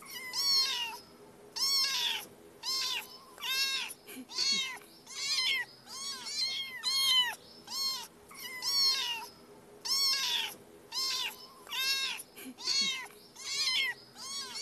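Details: A cat calls insistently with a string of about eighteen thin, high meows, each a quick arched rise and fall, repeated steadily with a quiet low hum behind.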